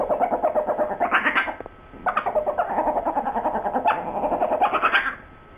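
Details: Sue Ellen and Siv, two pet dogs, in a heated back-and-forth over a bone: near-continuous rapid yodel-like grumbling and whining with brief rising yelps, broken by one short silence, indoors.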